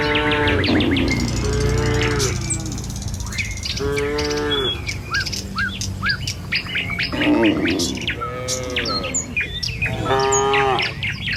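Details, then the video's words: A herd of tame cattle crossing a village road on the way to their pen, several long wavering moos spaced a couple of seconds apart, backed by busy chirping birds and low ambient rumble. "Suara Sapi Moou Sepanjang Jalan Menuju Kandang"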